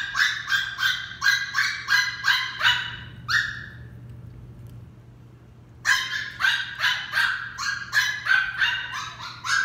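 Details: Female West Highland White Terrier puppy during a training session: rapid, high, sharp yapping barks, about three per second for three seconds, a short pause, then another quick run of yips with a steady low hum underneath.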